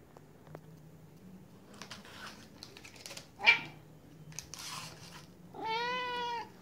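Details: Siberian cat meowing softly to get a 'chocolate' stick treat indoors. A single drawn-out, level meow near the end follows scattered soft clicks and rustles.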